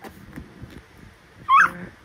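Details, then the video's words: Chatty young Pomapoo puppy giving a single short, high, squeaky yip after a quiet stretch in a room. "Ano kaya sinasabi ng baby dog ko- ang daldal eh"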